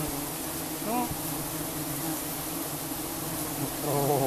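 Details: Giant honey bees buzzing during a honey harvest in rural Cambodia; a steady dense hum fills the clip, with brief whistly tones near the start and end and faint background voices.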